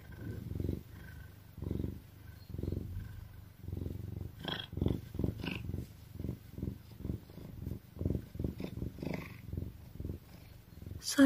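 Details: An Oriental cat lying in a bag and falling asleep purrs in a steady, low rumble of pulses, puffing and purring at the same time, with breathy snuffles mixed in.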